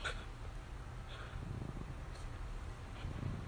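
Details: Dachshund playing with a plush toy, tugging hard enough that its owner's arm tires, gives a low, steady rumbling growl that holds throughout with slight swells, with faint soft clicks above.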